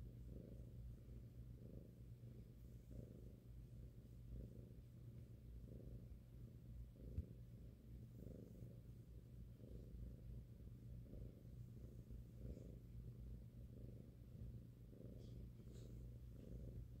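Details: A 5-month-old male domestic cat, cuddled on a lap, purrs loudly while his head is massaged, a deep rumbling throb that swells and fades with each breath.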